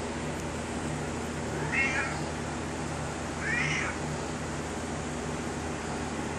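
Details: Chatty pet cat telling its owner about its day: two drawn-out, wavering meows about two seconds apart, separated by quiet room hum, with the owner talking back to it nearby.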